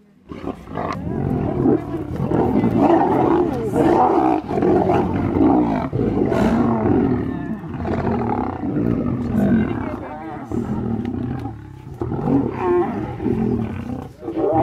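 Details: Lions fighting among themselves over a zebra kill on a morning game drive in South Luangwa National Park, Zambia, in September; harsh continuous snarling and roaring, rough and loud, with brief dips and bursts of growls.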